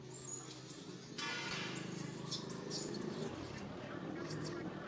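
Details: Baby monkey Rain calling to its mother Rany for help: a series of thin, high-pitched arched squeals, rising and falling, repeated in bursts over a steady low engine-like hum and background murmur.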